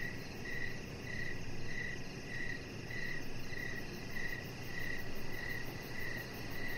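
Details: Crickets chirping outdoors in the evening near a deck with decoration lights, a chihuahua puppy lying nearby; short bright chirps pulse steadily about twice a second over a constant low rumble.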